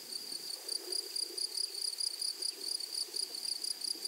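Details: Grasshoppers in a flowery meadow or prairie: a steady high, thin pulsed chirping with a faint overtone, about four pulses per second, over a soft low background murmur.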